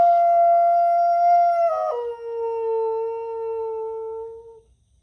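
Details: Dog howling back at coyotes: a loud, pure, sustained note drops abruptly to a lower pitch partway through, then carries on steadily and fades out. Clear harmonics, quiet background.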